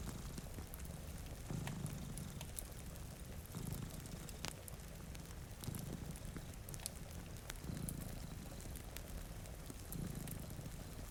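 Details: Two cats dozing before a rainy window give a steady cycle of deep purring pulses roughly every two seconds, under bright crackles of a fireplace and constant rain.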